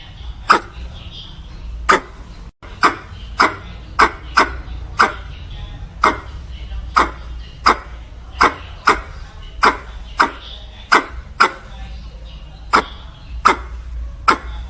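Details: Squirrel. A squirrel calls to a mate with a run of short, sharp chips, each one abrupt and clicking. The notes come irregularly, roughly one to two per second, over a low background rumble.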